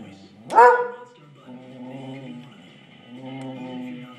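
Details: A Redbone Coonhound barks once, sharp and loud, at a squirrel seen through the window, followed by quieter, sustained tonal sounds like whining or a voice.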